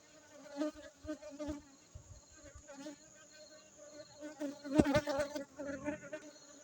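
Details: Aceh honey bees humming continuously in a low, even drone, rising in bursts as individual bees fly nearer, with a sharp loud swell near the end.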